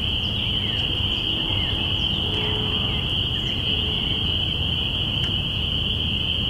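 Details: Spring peepers calling on April 5, 2017, at the beginning of spring, recorded in binaural sound: massed high peeps form a steady, intense whistling wall, with scattered softer chirps and a low rumbling backdrop.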